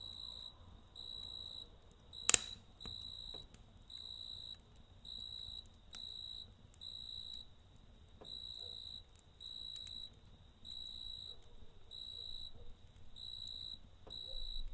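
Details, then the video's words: Night crickets by a campfire give shrill pulsed chirp bursts roughly once a second, regular and even throughout, with one loud fire crack near the start, scattered soft pops, and a faint low hum underneath. "Kamp Ateşi ve Cırcır Böceği Eşliğinde Dinlendirici Gece Sesi"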